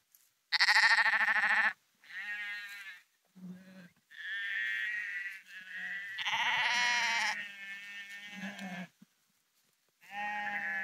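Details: Sheep walking along the Porrenkoogdeich dike near Husum, Nordfriesland, giving repeated wavering, strongly harmonic bleats of varied pitch, some long and loud, others short and soft, overlapping between several animals with brief quiet gaps.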